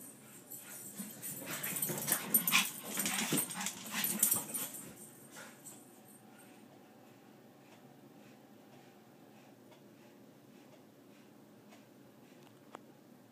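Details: Two Pekingese play chase, zooming back and forth past a door, one chasing the other: short, high-pitched yips and little whimpers come in rapid bursts over about six seconds amid scuffling and bumping, then only a faint steady hum remains.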